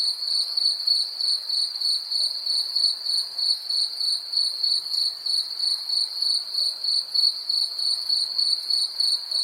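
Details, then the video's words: High, bright cricket song, a sustained ringing tone pulsed at a fast, regular rate of roughly three beats per second over near silence. "Cricket insects sound effects"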